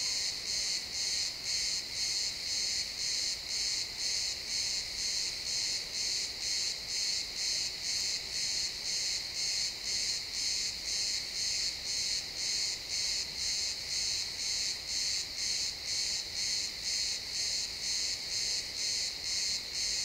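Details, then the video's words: ['Chirping crickets in pine woods at sunset, captured in real time with an XY stereo pair; bright, high chirps repeat evenly roughly twice each second across the whole stretch, nothing else prominent.'] "Cricket sounds in the pine forest"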